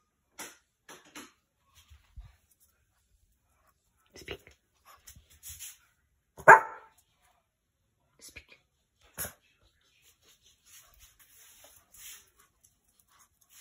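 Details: Boston Terrier on night watch, reacting to his own shadow in the window or to something moving outside around the house. A single sharp, loud bark stands out midway among faint scattered knocks and rustles.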